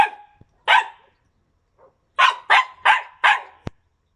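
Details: Yakutian Laika in September 2020 barking: one sharp bark, a pause, then four evenly spaced loud barks, followed by a brief click.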